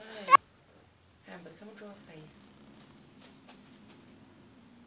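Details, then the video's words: Male kitten in 2014 growling over his pink toy, not wanting people to have it: a sharp human voice at first, then a long, steady, low rumbling growl lasting several seconds. "Male Kitten Growling Over Toy"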